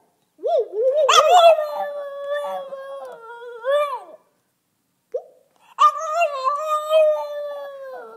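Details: Two-year-old French bulldog 'sings' calmly in a small room: a wobbly howl rising and held steady for about four seconds, a brief pause with a soft yelp, then a second long level howl.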